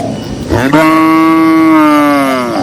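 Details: Cow among dozens of cattle walking in a green pasture: one long, loud, steady moo of about two seconds, rich and droning, starting abruptly after a short breathy onset and sagging slightly at the end.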